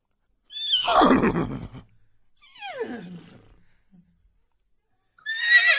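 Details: Farm horse neighing: a loud, shrill whinny that falls in pitch and shakes, then a shorter, softer descending whinny, then another high whinny beginning as the recording ends.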